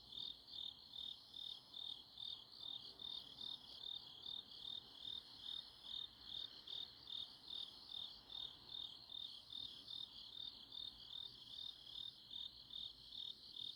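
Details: Grass insects calling on an autumn night in Chuncheon, South Korea: a steady high chirping chorus, pulsing in regular beats about two or three times a second over a soft background hiss.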